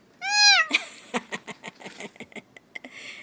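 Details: Pet cat giving one clear half-second meow, arched in pitch and rich in harmonics, followed by a run of sharp clicks and tapping noises.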